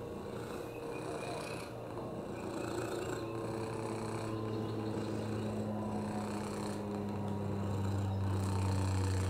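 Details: Oliver, a rescued domestic lap cat with a broken hip, upper respiratory infections and FIV, purring on a lap: a steady low rumble with rapid regular pulsing that grows slightly louder, plus faint background noise.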